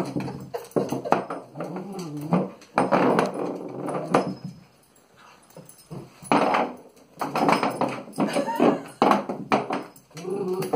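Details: Domino, a two-and-a-half-year-old male rat terrier, plays with a small metal vase, giving bursts of low, throaty growls and whimpering whines in several separate spells with short quiet gaps between them.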